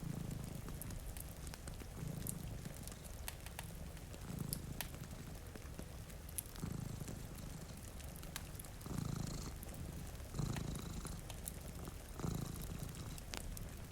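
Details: Purring from a pair of cats sleeping by a rainy window with a fireplace burning: a low vibrating rumble pulsing roughly every two seconds, rain pattering throughout and occasional snapping crackles from the fire.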